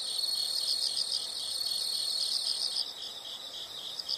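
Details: Insects heard in a nature soundscape: a dense, shrill, continuous high trill with faint pulsing chirps, plus a thin steady tone in the background.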